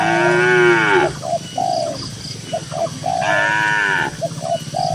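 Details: Tame cattle grazing in a cool green countryside field: two drawn-out moos, each about a second long, sliding downward with rich harmonics, while soft short dove coos repeat in the gaps.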